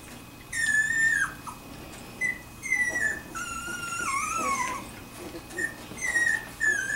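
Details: Two-week-old Wirehaired Pointing Griffon puppies from a litter: thin, high whistled whimpers and squeaks, some falling in pitch, several overlapping cries in quick succession over a steady low hum.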